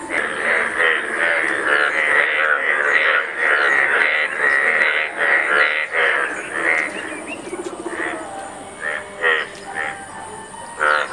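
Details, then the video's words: Breeding chorus of Indian bullfrogs at a shared mating ground with many pairs and competing males; dense, continuous rasping pulsed croaks for the first seven seconds, then thinning into separate short croaks from several frogs. "Mating of Indian Bull Frog"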